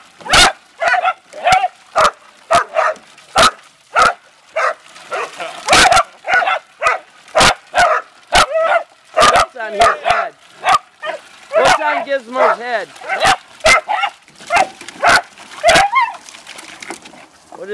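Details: Beagle and Dachshund family dogs, a mother with her young Rocko and Gizzmo and a red-bone Dachshund father Zeenie, playing in water: sharp repeated barks and rising high yips, with splashing and people talking and laughing.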